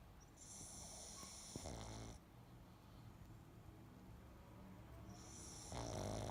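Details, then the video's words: Pet pug asleep, snoring: two drawn-out breaths, each about two seconds, pairing a low rough buzz with a bright hissing wheeze, separated by a quiet pause. "Snoring Pug"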